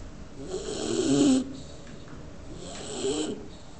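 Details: A Bulldog fast asleep and very relaxed snores loudly: two long, rough, rattling breaths, each about a second long, separated by a quiet pause of roughly a second and a half.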